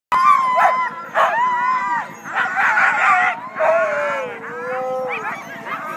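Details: A team of Siberian huskies, the first sled dog team of the day, in Klamath National Forest north of Weed, California, on February 9, just before a race start; several dogs howl and yelp together in long wavering, sliding tones over a steady low hum.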